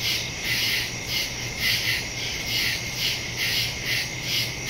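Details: Woodland crickets at night on September 2, 2023, stereo phone recording with a Shure MV88+; loud, even pulses of high rasping chirps swell roughly twice a second over a sustained piercing tone.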